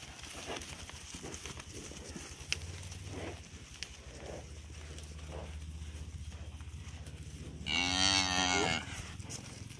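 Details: Young cattle running up to a farmer on a farm, with a brief loud harmonic moo near the end over steady low engine-like rumble and scattered noises.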